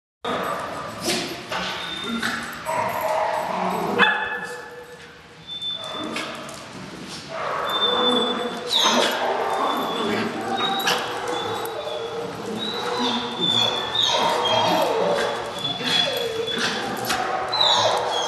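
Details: Seven-month-old female Jack Russell playing with a Puggle at a dog park in Parker; short, sharp barks and yips come in irregular bursts, with people talking and other park noise in the background.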